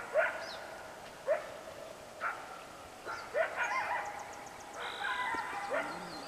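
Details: Along the West Walker River in the morning, coyotes bark in abrupt clipped notes about a second apart, followed by a longer rougher stretch, with thin bird notes and trills above.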